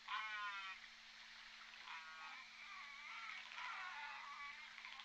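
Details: Underwater calls of J Pod orcas captured by the Point Robinson hydrophone, 14 December 2021: a strong harmonic call opening, then softer stacked calls near two and three and a half seconds, amid constant hiss and a steady electrical hum.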